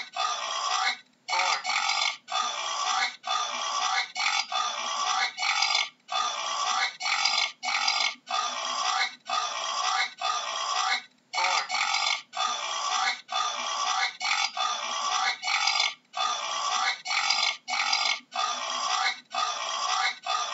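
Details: A wild boar keeps up a long series of raucous squeals. Each rough cry lasts about a second, with short gaps between them. The calls run throughout, with no other sounds.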